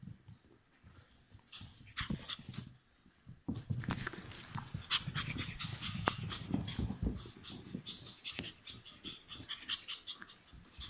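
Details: Cream-coloured male Chihuahua born 30 April 2018, a pet seeking a new owner; quick soft panting breaths come in irregular bursts, mixed with snuffling and faint rustling handling noises.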